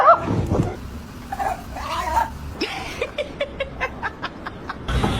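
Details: Two playful dogs; one voice opens with a whining yelp, then comes a run of quick, clipped barks about four per second, with some human voice in the background.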